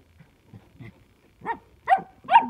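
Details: Samoyed dogs giving short rising yelping barks that build in loudness, three strong barks after soft grunts, with a woman talking nearby.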